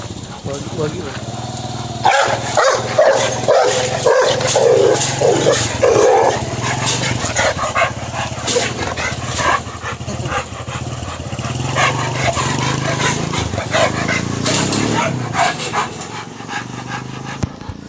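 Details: A Rottweiler attacking a man gives a run of deep, rapid barks while people talk and shout over it; Rottweiler.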